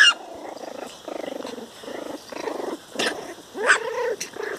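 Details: Four-week-old puppies playing outside, one barking at a tree: a run of short, rough, harmonic yaps and growly barks, about seven bursts in quick uneven succession, with a sharper high yelp near the end.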